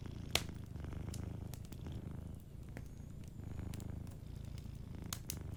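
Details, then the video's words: Low, soothing purr from a cat sleeping by the fire, two breathing cycles of steady rumbling, overlaid with intermittent crackling and popping wood. "Warm Fireplace Ambience with a Sleeping Cat 🐱💤Fireplace & Soft Purring"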